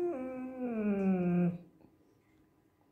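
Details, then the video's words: Hungry female Bernese Mountain Dog puppy growling like a bear indoors when refused chicken: a harmonic, moaning growl-whine sliding downward over about a second and a half, then quiet. "Very hungry Bernese Mountain Dog growls like a bear"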